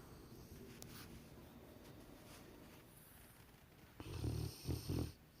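A Rottweiler snoring, with a few deep, rasping, snorting breaths after a quiet stretch.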